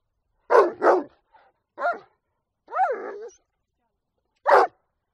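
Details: Rottweiler giving a quick double bark, a soft short sound, then a single bark, a longer drawn-out bark with a falling tail, and a final sharp bark after a pause; nothing else audible.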